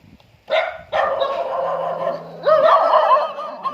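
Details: Dog greeting its owner as the owner arrives home: a sharp yelp, then drawn-out, wavering whines that rise into a higher, excited whimper near the end.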